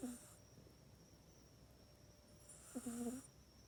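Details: Pet cat Mac snoring while asleep in its cat bed, which it now uses only at night. Two nasal, tonal snores about three seconds apart, each a short wavering hum with a soft breathy hiss, quiet room between.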